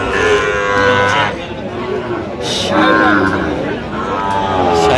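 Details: Sahiwal bull calves being traded at a Cox's Bazar cattle market, Bangladesh, 8 November 2025: three lowing moos, each about a second long, roughly every two seconds, amid market hubbub and a man's speech.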